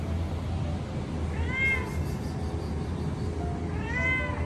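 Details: Resident cat giving two clear, nasal meows about two and a half seconds apart, each slightly rising then falling, over a steady low rumbling hum.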